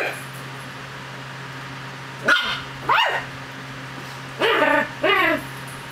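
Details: A Chug, a pug and chihuahua cross, playing and fighting its owner's hand like a dog, giving two pairs of short, wavering, growly yelps over a steady low hum.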